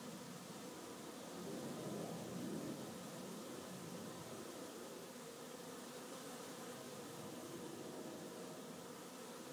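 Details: A beehive on a busy afternoon: many honey bees produce a continuous buzzing hum that swells briefly near the two-second mark, then settles into an even drone.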